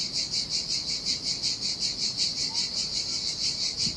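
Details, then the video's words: Cicada chorus by the sea in Sardinia in summer heat, a shrill high buzz swelling and fading in regular pulses about two to three times per second, with faint surf underneath. "Ocean Waves & Cicada Sounds"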